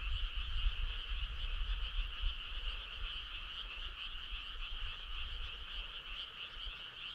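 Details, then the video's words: Many frogs calling together on a summer night: a dense, unbroken chorus of rapid pulsed trills in two steady high bands, with a low rumbling background underneath. "Cool frog sound"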